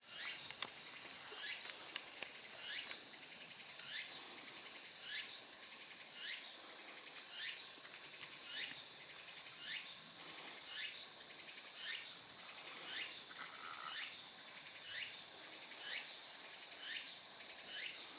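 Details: Tsukutsukuboshi cicada calling on 23 August 2020 around 11:12, a dense unbroken high-pitched shrill drone overlaid with short rising chirps repeated roughly every second; steady insect chorus throughout.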